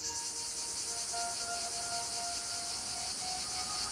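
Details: In Provence, southern France, during summer heat, a male cicada gives a steady, high-pitched buzzing courtship drone telling females he is available, with faint musical tones beneath; females have no call.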